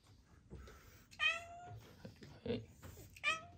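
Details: Black female cat with congenital heart disease, once a trapped kitten who distrusted people, giving a farewell greeting indoors: two clear, drawn-out meows a couple of seconds apart, with soft human murmuring between.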